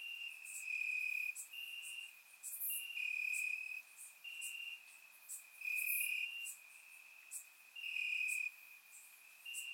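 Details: Warm summer night in Bulgaria, crickets calling from the grass: continuous high-pitched trilling that swells into louder bursts about once a second, layered voices of more than one insect, faint sharp clicks on top, otherwise quiet.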